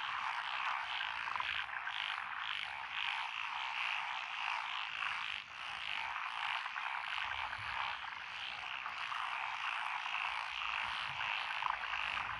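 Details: Japanese paddy frogs calling in chorus from lotus rice fields beside a country road in Echizen, Fukui, June 2021: a thick, unbroken croaking mass of many callers, with repeated higher trills throughout and a brief dip midway.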